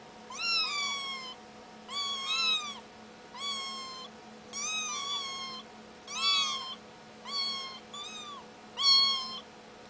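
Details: A kitten meowing indoors: clear, high, harmonic meows, some in quick doubled pairs, repeated about every one to two seconds, with a faint steady hum in the background.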